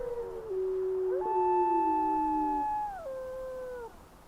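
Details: Gray wolves howl in windy weather, giving long, smooth, overlapping tones that slide gently down and then hold steady.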